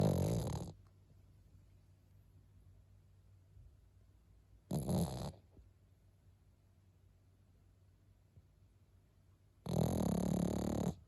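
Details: Pekingese dog snoring indoors: three loud, rasping, broadband snores roughly every five seconds, each lasting under a second, with near silence between them.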